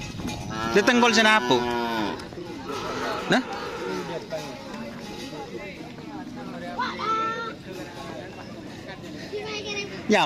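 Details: Cattle at karapan sapi bull-racing practice at the Asemanis field in Pamekasan. Near the start comes a drawn-out, low moo with falling harmonics. Brief voices and crowd murmur follow, with a short sharp sound at the end.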